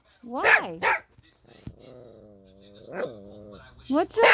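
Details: Four-month-old Toy Poodle puppy: two sharp high yips, a long thin whining tone, another yip around three seconds, then more quick yaps at the end.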